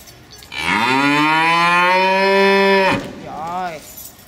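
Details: Cow lowing in protest, one of two animals eager to return to the stable at their usual time; a long, rich, steady moo of about two and a half seconds followed by a brief, softer second moo.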